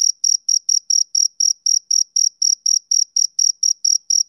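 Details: Male cricket chirping through a summer evening, around seventeen short, shrill pulses at a quick, even pace of about four per second, with no other sounds present.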